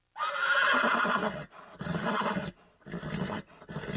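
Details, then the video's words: Horse neighing: a loud harsh whinny over about a second and a half, followed by a series of shorter, lower pulsing snorts and nickers with brief gaps between them. "Som Barulho de Cavalo - Som De Cavalo - Cavalo Relinchando"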